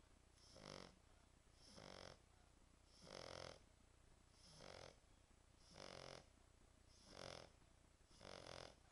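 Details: French Bulldog asleep and snoring, a deep rattling snore on each breath, seven evenly spaced rasping bursts roughly every 1.3 seconds, quiet between breaths, faint steady hum behind.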